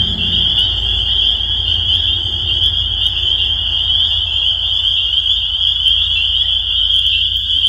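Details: Spring peeper chorus forms a constant high-pitched ringing of overlapping peeps, steady throughout, with low rumble underneath.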